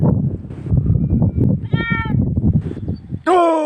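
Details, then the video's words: Goat with its kid: a brief high harmonic bleat midway, then a loud wavering bleat that starts high and drops in pitch at the end, over a steady low rumble of wind or handling noise. "Sound of Goat with Kid"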